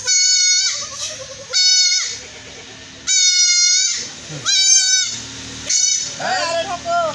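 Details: Young goat under castration in rural Bangladesh cries out in five strong, strained bleats, steady in pitch and bunched together, while people talk in the gaps between cries.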